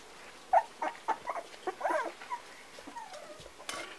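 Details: Parson Russell Terrier puppies, four weeks old, giving short high whimpers and squeaks in quick scattered bursts, some with brief tonal whines, against a quiet indoor background.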